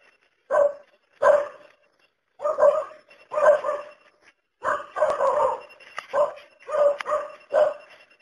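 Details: Barking domestic dog, spaced single barks at first, then a faster run of rougher, longer barks toward the end; each bark abrupt with a clear tonal centre and raspy overtones.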